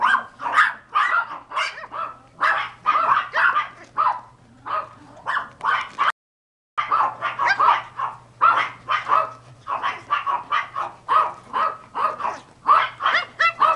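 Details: Pomeranian (German dwarf spitz) puppies from a cream sable pair, Skyler and Ivy, yipping in quick overlapping bursts of sharp, high barks. A brief silent break comes midway, then the excited barking resumes, with a faint low hum underneath.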